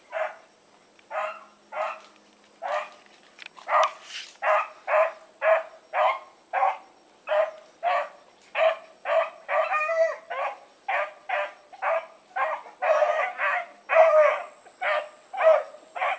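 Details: Blackreek pack dogs Choco, Dino, Johnny Ringo and Mingo out for an evening run: strong, evenly spaced barks repeat roughly every half second, growing denser toward the end, over a constant high-pitched insect drone.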